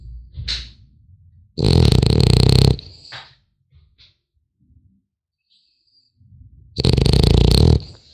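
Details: Sleeping French Bulldog puppy snuffles softly, then lets out two loud rasping snores about five seconds apart, with small wheezes and grunts in the pause.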